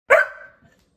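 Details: A male Labrador Retriever puppy gives one sharp, ringing bark to demand its supper at suppertime; Labrador Retriever.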